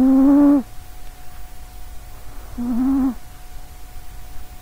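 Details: Sausagecat, a short-legged female pet cat in good health, snores loudly while asleep beside a nearby microphone: two droning, harmonic buzzes about two seconds apart, the first longer, over a faint steady hum.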